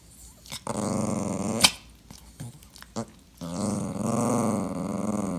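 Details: Dachshund, a clingy sausage dog that is being ignored, snorts and huffs in short bursts, then settles into a sustained, deep, grumbling growl-moan for the final two seconds.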